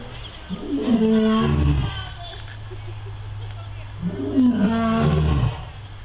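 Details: Captive lions at a zoo roaring; two deep, rough groaning roars about four seconds apart, each rising and falling, with low rumbling between them.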